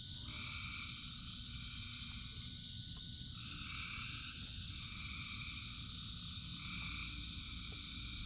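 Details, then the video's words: Thousands of frogs singing in rain: a dense, unbroken chorus of overlapping trilled calls, with higher phrases swelling and fading every second or two, over a steady low hiss and rumble of falling rain. "Frogs in Rain 2 Hours of Frogs, Thousands of Frogs Singing"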